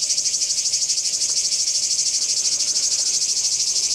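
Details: Cicada chorus recorded at Kardamyli, 2013, a loud, hissing, high-pitched drone that pulses rapidly and evenly throughout, with no other clear sounds.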